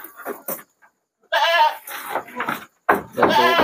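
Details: Goats, about sixty animals, being shipped by truck at night to the city of Jambi, Indonesia; loud wavering harmonic bleats in two bursts after short broken calls, with people talking nearby.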